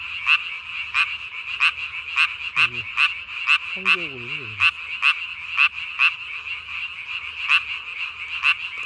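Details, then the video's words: Japanese tree frog calling at night, 3 May 2020, its chin vocal sac puffed up as big as its body; crisp rasping notes repeat about every half second, broken by two short, deeper, descending croaks from other frogs. "밤에 우는 청개구리 울음판이 몸통 만큼 크네요?"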